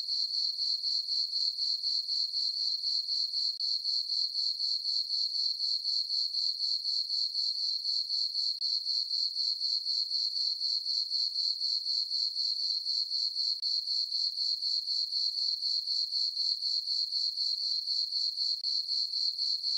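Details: Continuous cricket chirping recorded on a calm summer night in a meadow on a farm under a full moon, a thin high trill beating evenly about four times each second for the whole stretch.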